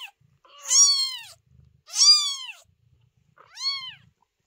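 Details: Newborn kitten, a loud crier born to the cat Chloe, meowing at night: three loud, drawn-out meows about a second apart, each rising then falling, with a rich harmonic stack and quiet gaps between.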